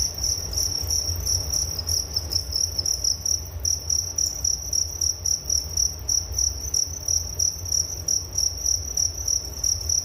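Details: Nature sound of crickets meant to lull one to sleep, a continuous shrill high chirping in quick regular pulses, layered over a soft low background hum.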